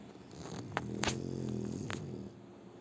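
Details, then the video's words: Sleeping French Bulldog Shturm gives a short, low, buzzing snore with a steady rumble, broken by a few sharp clicks. "Французский бульдог Штурм Вот так Спит и Храпит"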